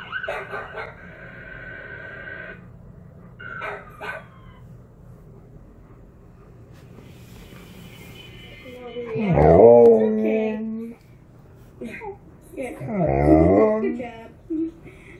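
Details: Tonka, an Alaskan Malamute, howls along while watching other dogs' videos. Two loud, harmonic, wavering howls rise and fall near the end, after quieter dog sounds and music from the screen and an owner's cheerful talk.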